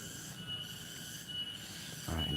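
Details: A cicada (tonggeret) sings a steady, high, ringing drone without a break in a village on a Thursday late afternoon toward evening, its song said to mark that evening has come.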